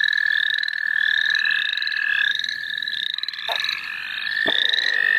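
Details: Frogs call in the St. Olaf College Natural Lands, where people are catching them: a strong, steady high trill with rapid, overlapping upswept chirps, interrupted by two brief sharp noises.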